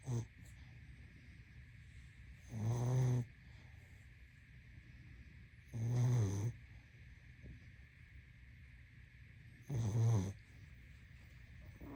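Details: Sleeping pug with regular low snores, three full rattling breaths roughly three to four seconds apart after a clipped one at the start, a faint hum underneath.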